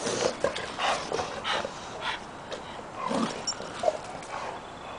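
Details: Little rescue puppy Oliver, a Pug-Peke-Tzu mix, being introduced to the pack; irregular short whimpers and snuffling sounds roughly every second, mixed with movement noise and a person urging calm.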